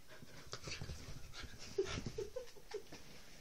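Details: Rough play between Whippets Roxy, three years old, and Lilah, a seven-week-old puppy: quick panting breaths with four short, high squeaky whimpers toward the end, over rustling movement.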